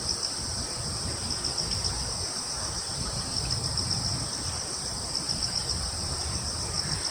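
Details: Crickets in a wood on Yeongjong Island, Korea: steady high trilling with short bursts of rapid pulses repeating every couple of seconds, over a broad background hiss and breeze.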